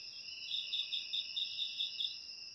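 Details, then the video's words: Cricket chorus meant to repel rats indoors: constant piercing high trill with about eight evenly spaced pulsed chirps, clean and free of other sounds. "Suara Jangkrik Untuk Mengusir Tikus"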